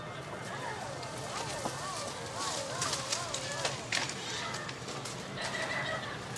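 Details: A white-handed gibbon at Tokiwa Zoo in Ube, where a baby has begun leaving its mother, gives wavering, rapidly rising and falling hooting notes over human voices.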